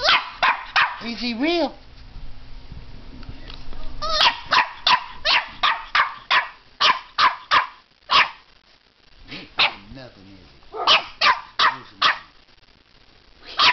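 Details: Puppy barking at a fake alligator head holding its teddy bear, giving a long run of sharp, high yapping barks, roughly three per second, with short pauses and a few whiny yips between bursts.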